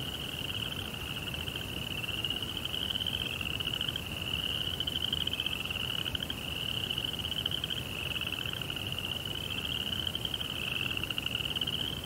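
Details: Night-time crickets in a Japanese Zen garden with a koi pond, giving an unbroken high shimmering trill of rapid pulses as overlapping insects swell and fade slightly, over faint steady hiss.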